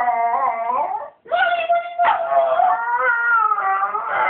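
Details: A mini schnauzer sings at dawn to rouse its owner from bed, giving sustained tonal howls that bend up and down, a short breath gap, then a steady, slowly wavering drawn-out note.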